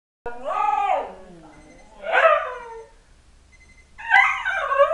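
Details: One-year-old pet husky reacting to an alarm it dislikes, giving drawn-out, wavering howl-like vocalizations that slide downward, three separate bouts with pauses between, faint short electronic beeps in the background.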